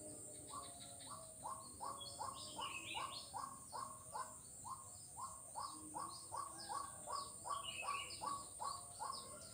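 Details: A frog in Kuala Kapuas, Central Kalimantan, recorded 4 November 2021, gives short, rising croaking notes, about two or three a second, with birds chirping behind.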